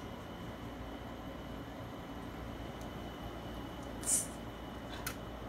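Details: Steady machine hum fills the room, broken only by a brief high squeak and a faint click. No animal voice can be picked out.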